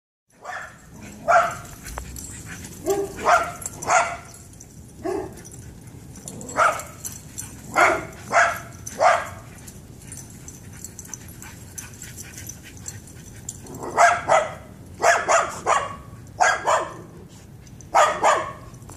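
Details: Shiba Inu and Pit Bull playing excitedly in a backyard, reunited after a while, chasing each other; frequent sharp barks in bursts, some quick doubles and triples, with quiet gaps between volleys.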